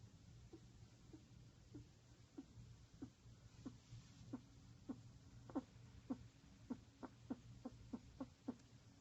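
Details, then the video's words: Pet rat curled in a ball, snoring loudly: short soft clicking snorts that start faint and grow stronger, coming roughly every half second over a low steady hum in a quiet room. "Pet Rat Curled in a Ball and Snoring Loudly"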